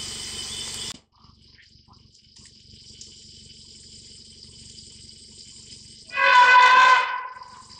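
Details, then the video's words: Elephant roaring while refusing to accept a person. A single loud, brassy, harmonic blast lasts about one second near the end, after a steady insect drone cuts off into near quiet. "Elephant not accepting Jaso and Roaring"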